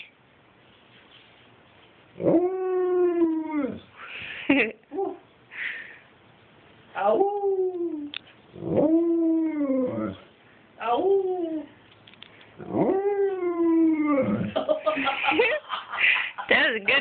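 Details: Alaskan Malamute indoors 'wooing' and singing in a run of six or seven arching, howl-like syllables, each rising then falling, spaced irregularly with brief gaps and some rougher bursts near the end.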